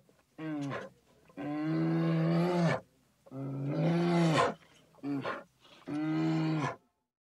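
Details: A polar bear (Ursus maritimus) gives five deep, rough roars, some short and some held for over a second, with brief pauses between them.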